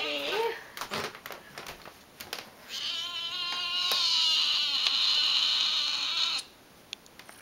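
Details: Talkative Tonkinese tom named Beast, a pet that rarely stays quiet: a long drawn-out meow of about four seconds with rich harmonics, preceded by short clicks and a brief murmur, ending abruptly into a quiet room.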